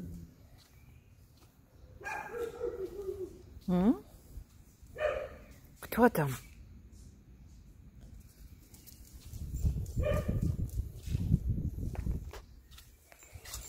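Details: Rudy, a male setter at a summer house, whose main duty is barking at people and dogs, gives a few sharp, loud barks with pitch rising in one, spaced over several seconds, while people talk nearby.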